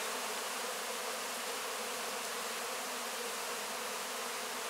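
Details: Many honey bees cleaning up wax cappings after a honey harvest, licking up leftover honey, heard close up: a dense, steady droning hum with no breaks, thick and even throughout.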